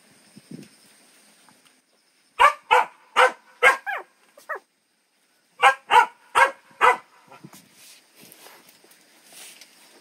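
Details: Puppy barking in two bursts: four or five sharp, evenly spaced barks around two and a half seconds, a pause, then four more near six seconds, with a faint whimper at the start and quiet background afterward.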